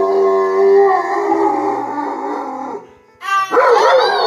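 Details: A dog named Balou howls along in long, wavering tones while two girls sing over music, a singing dog.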